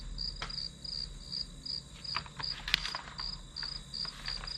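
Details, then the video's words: Grass insect chirping in bursts of high pulses, interrupted by several sharp clicks and taps, with a steady high hum and low rumble underneath, as study ambience. "풀벌레 소리"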